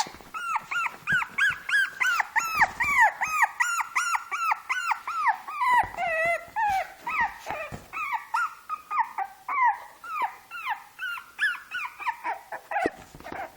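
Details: Six-month-old Shih Tzu trying to play with a two-month-old Shih Tzu puppy: a long run of high, arched yelps, about two or three each second, steady at first, then more broken and whiny toward the end.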